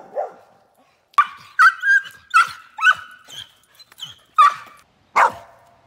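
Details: Loud, hyper Australian Shepherd gives a short series of sharp, ringing barks, some with a rising yelping edge, spaced about half a second to a second apart in a quiet indoor setting.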